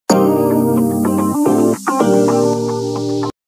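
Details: Electronic synthesizer music with steady drum-machine beats fills the whole recording, and no animal sound is heard.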